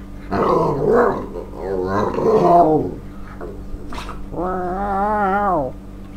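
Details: Excited male Staffordshire Bull Terrier greets his owner returning from work, anticipating his evening walk: rough, growly bark-like outbursts, then a long, high, wavering whine-howl held for about a second and a half.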